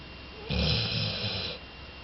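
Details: Loud snore from Jolie, a sleeping two-year-old female Labrador Retriever: a single rough, rattling breath lasting about one second, with a low throaty rumble under a broad hiss.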